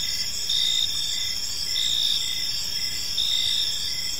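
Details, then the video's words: Crickets chirping on an evening in a peaceful park: a steady high-pitched trilling chorus in pulsed bursts of under a second, several callers overlapping, with a faint low background rumble. "Park Serenade: Cricket Sounds in a Peaceful Park | Evening Ambience"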